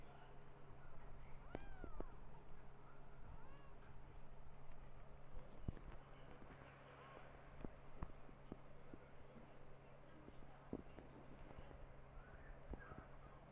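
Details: Domestic cat: a mother who lost her own kittens adopting and nursing orphan kittens. Thin, high, arched meows rise and fall near the start, followed by fainter scattered mews over a low steady hum and occasional clicks.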